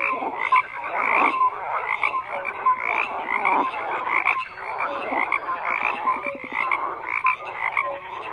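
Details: Many frogs croaking together in a thick continuous chorus; rapid pulsed rattles and short clipped notes overlap, with occasional higher chirps standing out every second or so.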